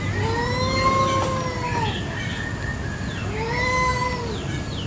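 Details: Village cats fighting over territory in a garden one morning, piercingly loud. Two long, drawn-out wailing yowls rise and fall in a smooth arch, each lasting about two seconds with a pause between, over a low rumbling background.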